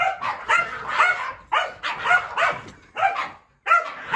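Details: Excited Keeshond named Kumo barking indoors after chasing his owner up and down the stairs; rough, yappy barks come in quick clusters with brief pauses, one longer silence near the end before barking resumes.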